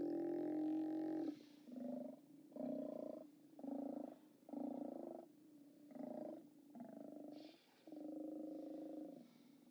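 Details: Steller sea lions at the OrcaLab haulout, 29 October 2017, from a live camera: a long opening roar, then a run of about eight deep, growling bursts, each lasting under a second and coming roughly every second.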